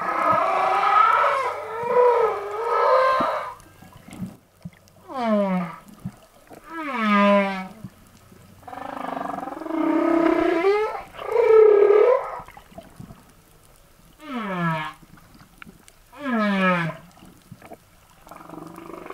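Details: Humpback whales recorded on the Silver Bank, Dominican Republic, in April, where males sing and compete near females; long moaning and whooping units, some sweeping steeply downward, repeated in phrases with short pauses between them.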